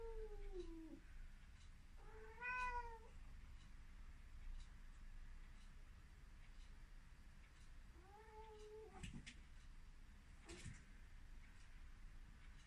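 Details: An excited Ragdoll cat running around and meowing loudly indoors. Three clear, tonal meows, each rising then falling, with long quiet gaps and a few sharp clicks and thumps between them.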